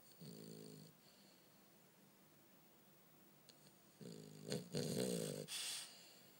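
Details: Bumble B, a French Bulldog, snores while asleep: a low, buzzing snort, a long quiet pause, then a louder burst of rough, rattling snorts with some wheezy noise near the end.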